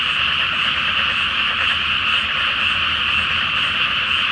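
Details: Massed frogs calling at night from a flooded rice field awaiting planting in Japan, full moon overhead; a thick, unbroken wall of rapid croaking rattles without pause.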